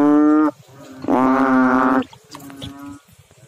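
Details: Frog calling in water: two drawn-out, nasal, harmonic croaks, each about half a second to a second long, the second one louder, followed by a fainter, shorter note.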